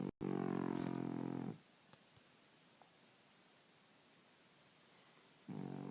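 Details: French Bulldog sleeping: a loud harmonic snoring rasp for about a second and a half, then near silence, with the next snore beginning at the end.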